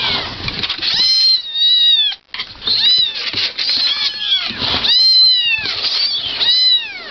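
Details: Cat meowing in a rapid run of bright, high, arching cries, each rising then falling, with a short gap near the middle and constant hiss behind.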